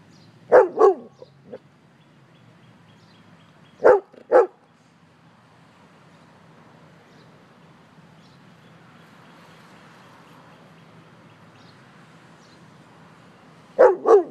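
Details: Pet dog barking protectively at a man nearby: short bursts of two sharp barks separated by long quiet gaps, with steady background noise between.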